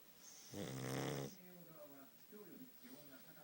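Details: Sleeping pug Futa, a flat-nosed dog known for fierce snoring, gives one long, loud, harsh snore lasting under a second, then quieter whistling breaths through the nose.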